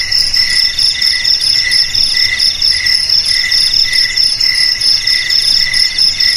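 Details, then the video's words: Crickets chirring nonstop, used as a rat deterrent for homes, garages, storerooms and rice fields. A bright high trill holds steady while a lower trill swells in short repeated beats. Background otherwise quiet. "Suara JANGKRIK Pengusir TIKUS Paling Ampuh untuk di Rumah,Garasi,Gudang,Sawah Agar Aman dari TIKUS"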